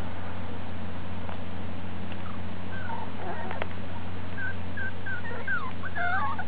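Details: Miniature Dachshund puppies, piebald with ticking, born July 18th, 2012 and filmed on August 26th, 2012, give thin, high wavering whimpers, a few faint ones early and then a run of bending, rising-and-falling cries in the last two seconds, over a steady low hum.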